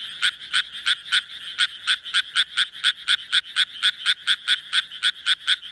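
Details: Japanese tree frog croaking in a fast, steady series of short raspy notes, roughly three to four per second, about twenty in a row with no break, over a quiet background.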